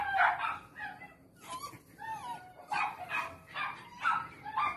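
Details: Weekend in Styria with Parson Russell Terrier Lenny, Attractive Aramis of Green Spirits: high excited yips alternate with thin sliding whines, the bursts coming about every half second amid faint background noise.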